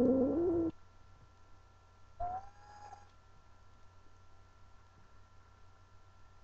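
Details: A pet cat named Angel, female, calling out because she does not want to be held. One loud, low, wavering yowl lasts under a second, then a fainter, higher, slightly rising cry follows after a pause in a quiet indoor room.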